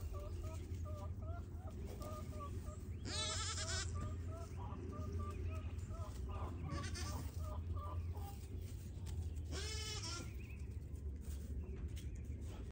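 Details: Young Pygmy goats at a Knoxville, Tennessee farm bleating in wavering, tremulous bursts, two strong calls several seconds apart, with softer bleats, human speech and low rumbling background noise.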